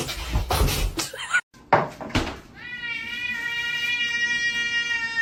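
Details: Cat in a funny pet compilation about cats talking: after a few thumps and rustling, one long, steady, drawn-out meow with a rich, even tone holds for more than two seconds until the end.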